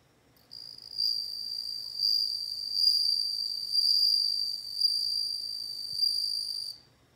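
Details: Continuous high, clear ringing trill from a bell cricket, lasting about six seconds with gentle pulses of loudness roughly once a second, then stopping abruptly into near silence.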